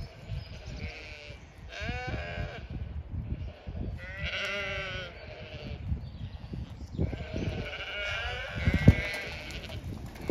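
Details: Flock of Zwartbles sheep at a farm in County Kilkenny, Ireland, bleating to one another at feeding time as a lookout alerts the rest; three wavering, harmonic bleat bouts with low-pitched shuffling noise underneath.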